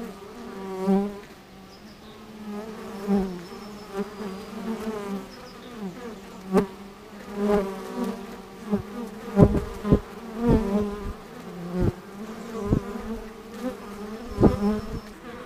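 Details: Honey bees working at an apiary: a steady low buzzing hum with wavering pitch as individual bees pass close, swelling every second or two, with scattered sharp clicks.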